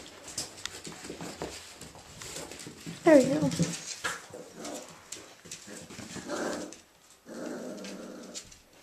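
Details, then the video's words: Irish Jack Russell Terrier male puppies, Mushroom, Portobello and Patty, playing indoors: a sharp rising yip near three seconds amid low play growls and scuffling, with a person talking in the background. "Violet Meadow Farm's available male puppies, Mushroom, Portobello and Patty, playing"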